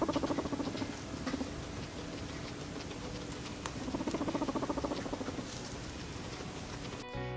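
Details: A guinea pig gives a short purr in rapid bursts, a low pulsing rattle repeated in quick runs. This call can mean either "I like this" or "I don't like this" depending on context.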